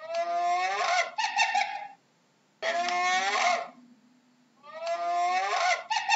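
A hyena gives bursts of nasal, harmonic yelping calls that waver in pitch, repeated every couple of seconds.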